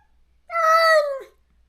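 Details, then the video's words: After neutering, a stray countryside cat calls out every day for its separated companion. One sustained, rich-harmonic meow lasts under a second, holding steady before dropping in pitch at the end, in a quiet setting. "중성화 수술 후… 강제로 헤어진 단짝을 찾아 매일 울부짖는 고양이"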